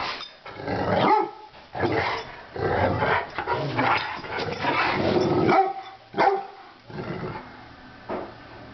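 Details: Two Rottweilers playing on New Year's Day, trading rough, low growls and gruff barks in irregular bursts, with short pauses of breathing and scuffling between the noisy outbursts.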